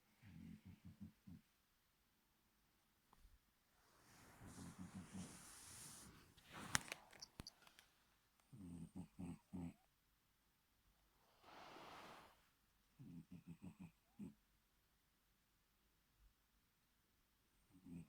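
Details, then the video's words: A sleeping Bengal cat snores in low, rattling bursts, with softer breathy sounds between them, not wanting to wake up. "Snoring Bengal cat doesn't want to wake up!"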